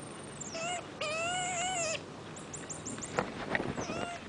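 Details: Marmoset monkey kept as a pet, giving several high whistled calls with buzzy undertones, each about a second long, followed by quick rising chirps and soft clicks against a faint background hum.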